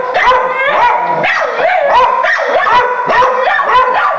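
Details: Dogs going nuts barking at a raccoon in a cage on the other side of a door: loud, continuous overlapping barks and yelps, several per second, with no pauses.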